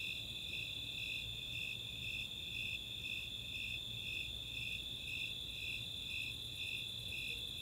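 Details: Snowy Tree Crickets and Four-spotted Tree Crickets calling together on a summer night at Chautauqua in Boulder, Colorado; shrill chirps repeat roughly twice per second above an unbroken high trill, with faint rapid ticking higher still.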